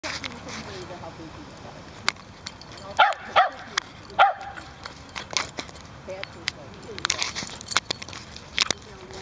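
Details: Cardigan Welsh Corgi puppy barking at a dog park while frolicking with dogs of various breeds; a few sharp barks near the middle amid scattered clicks and noise, with a person talking and calling out.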